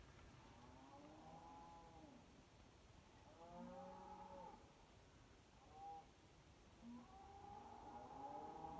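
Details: Cattle near Kyneton, around 26 May 2023, mooing at night in long, low, drawn-out calls that overlap; they call every night, possibly complaining about the weather.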